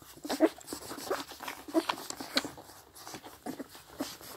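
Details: Seven 16-day-old Scottish Deerhound puppies suckle milk from their mother with wet smacking and slurping clicks, broken by a few faint squeaks and whimpers, over slight background noise.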